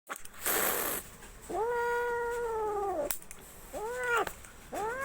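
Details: Angry domestic cat giving drawn-out, wavering yowls: one long, arching howl lasting over a second, followed by two shorter rising-falling cries, after a brief burst of rustling noise at the start.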